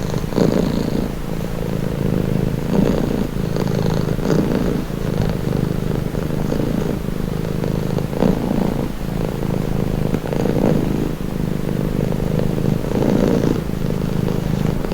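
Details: Relaxing purr of a domestic cat: a low, even rumble running throughout, swelling and softening in regular breath-paced waves, with no other sounds.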